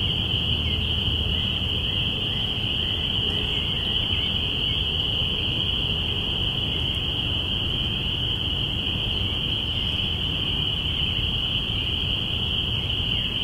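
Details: Binaural spring peeper chorus, April 5, 2017, marking spring's arrival: a constant high, shrill jingle of many overlapping peeps, steady throughout, above a low continuous rumble.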